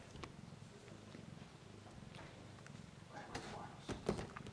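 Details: Siberian cat kittens purring, a low, steady rumbling throb for about three seconds, then a few sharp knocks and handling noises close by toward the end.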